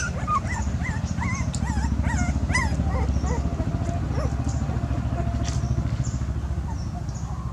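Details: A dog gives high, wavering whines in a fast run for about three seconds, then they thin out to a few faint notes, with a constant low engine-like drone underneath.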